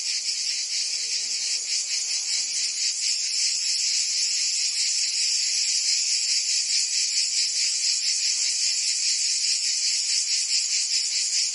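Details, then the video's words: Summer chorus of cicadas in Provence, France, a loud unbroken shrill buzz pulsing rapidly and evenly, roughly two to three throbs each second, with nothing else audible. "Cicadas singing in France (Provence)"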